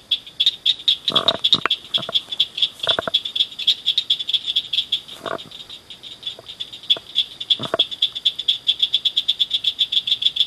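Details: Loud little frogs in a ditch culvert at night, several calling together in rapid high-pitched chirp trains, with a few soft lower thumps mixed in.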